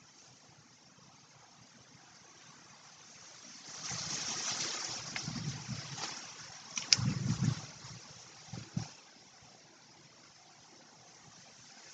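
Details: Steady hiss with a burst of rustling, scraping and soft thumps in the middle, then fading back to quiet background noise; no animal voice.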